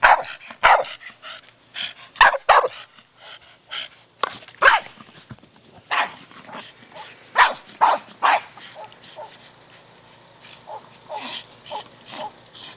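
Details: A 4-year-old Staffordshire Bull Terrier named Brogan barks during play with his big hard plastic ball: loud sharp barks in clusters, then quieter, shorter yaps trailing off, with sharp clicks of the ball.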